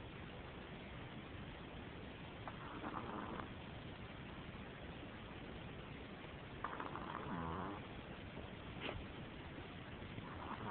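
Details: Pet chihuahua snoring while asleep, short soft snorts clustered around the third, seventh and tenth seconds over a steady hiss of background noise.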